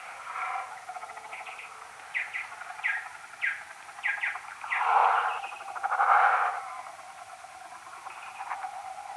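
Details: Common noctule bats calling next to a maternity roost, captured on an EchoMeter Touch 2 pro and played ten times slower: scattered falling chirps in short groups, mixed with a few louder broad bursts.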